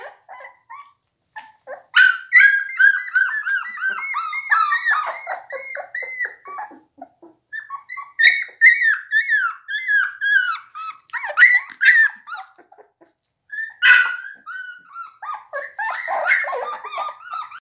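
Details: A litter of 17-day-old blue Pit Bull puppies keeps up a busy chorus of high whines and yelps, pitch rising and falling, cries overlapping, with brief pauses near the middle and before a final burst.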